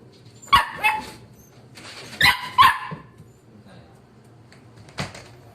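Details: Wire-haired Dachshund puppies, part of a litter of seven siblings, giving high, sharp yapping barks in short clusters, two or three yips at a time with pauses between.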